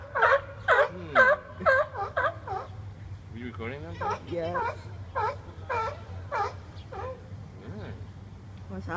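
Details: Arguing seals on rocks, one seemingly wanting a spot for itself. Rapid wavering, bleating cries come about twice a second, mixed with a person talking midway, over a low background hum.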